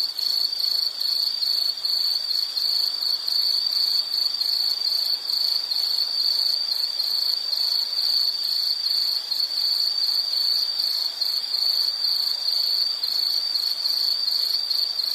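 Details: Long, continuous high-pitched insect trill with a fine regular pulsing, shrill and even throughout, over a soft hiss of higher overtones and nothing else.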